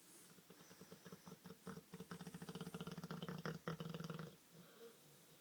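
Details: A sleeping Olde English Bulldogge snoring like a human: a quiet, low, rattling buzz that swells over about three seconds, then fades to soft breathing.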